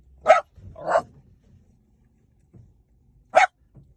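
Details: Two short, sharp dog barks close together, a brief pause with a faint soft sound, then a single loud bark near the end.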